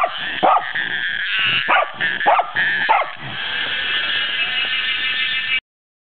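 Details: Welsh Corgi reacting to a cicada it fears, giving five quick, sharp barks in a rough rhythm, after which the cicada's continuous high, even buzz dominates until the sound cuts off.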